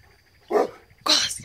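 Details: Pet Newfoundland dogs barking: two short, loud barks about half a second apart, the first deep and the second brighter and harsher, with faint speech before.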